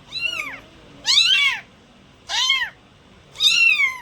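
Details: Cat meowing: four loud, high, arched meows spaced about a second apart, each rising then falling, in a quiet room.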